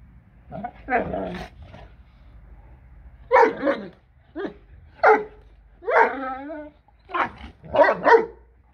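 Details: Four blue Great Dane female puppies aged seven months at Kennel Hradecká hvězda, barking repeatedly with a few whining, tonal yelps mixed in, and a low steady hum beneath.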